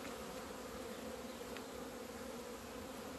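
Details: Many honey bees in flight outside their hive in February 2020, out in sunshine after two months of winter. An even, continuous drone with steady low bands holds throughout, under a wash of soft hiss.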